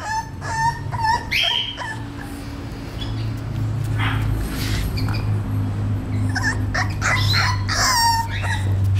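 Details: English Bulldog male pup, 38 days old, producing quick high whimpers and yelps in clusters at the start and end, a low droning hum filling the middle.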